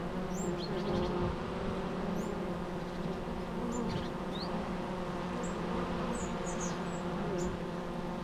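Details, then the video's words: Bees buzzing in a dense, continuous low hum with layered drone bands, while faint high bird chirps and short whistles are scattered above throughout. "natural bee sounds"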